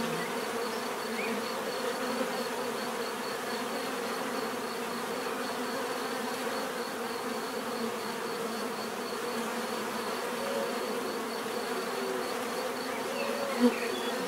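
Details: Sustained buzzing of many bees forming an even drone, with a faint repeated high ticking tone behind and a brief click near the end.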